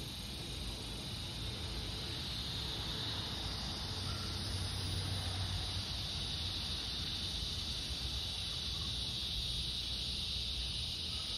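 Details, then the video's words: August 4th evening in summer, cicadas droning as the light fades: an unbroken shrill buzzing band holding steady throughout, with a low rumble beneath and a few faint short tones. "Evening Cicada Song Stroll"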